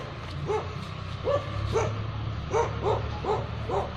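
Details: Barking from a Khanna, Punjab kennel housing Tibetan Mastiff and Gaddi dogs: single and paired resonant barks spaced about half a second apart over a steady low background hum.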